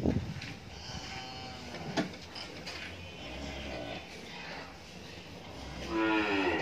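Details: Friesian dairy cow on a farm in Pabna, Bangladesh, after her second calving with a heifer calf, giving 27–28 litres of milk; a short harmonic moo at the start and a longer drawn-out low moo near the end, over indoor barn clatter.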